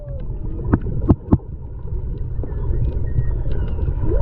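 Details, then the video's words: Underwater GoPro recording while snorkeling at Maui, Hawaii, February 2020: whale song with a falling moan at the start and a clear rising upsweep at the end, three sharp knocks early on, over constant deep water rumble. "Whales Singing in Maui, HI"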